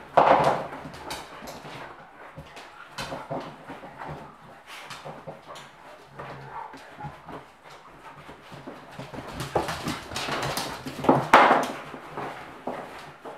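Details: Playing German Pinschers, mother Luna and her three puppies, joined by Doberman Lemon; rough growling barks burst out at the start and again late on, with steady scuffling, panting and small whines in between.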